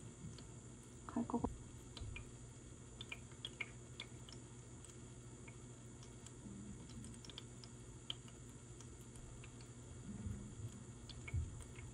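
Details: Quiet indoor room with soft keyboard-like tapping and ticks, a few low knocks and faint murmuring, and no animal sound.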